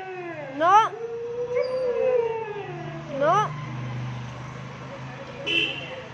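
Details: A female Shih Tzu playing with a street dog outdoors gives sharp rising yelps and a drawn-out whine, with a faint low hum behind.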